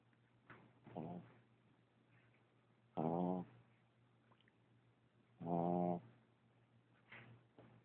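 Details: Sleeping puppy snoring loudly indoors: buzzy, harmonic-rich snores about half a second long, returning every two to three seconds, with softer breathing between them in a quiet room.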